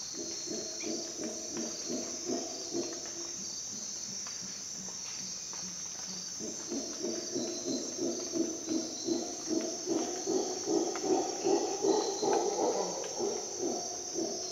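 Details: Howler monkeys at dawn in Costa Rican rainforest: low, throbbing roars that start softly, then swell after a pause into loud, pulsing bursts about twice a second, over a steady high insect drone.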